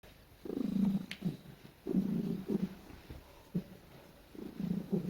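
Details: Domestic cat, a female, making cute noises while being petted and snuggling indoors; low rumbling purr-like murmurs in three longer bursts separated by short quiet gaps, one faint brief higher squeak near the start.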